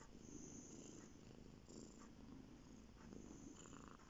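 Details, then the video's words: Male house cat named Bear lying on the bed and purring: continuous low, even rumbling with gentle pulsing breaths, recorded close up indoors with no other sounds. "Bear on the bed purring"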